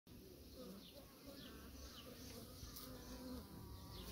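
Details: Kept honey bees buzzing as a low, steady hum, faint under a broad background hiss, with short descending chirps above.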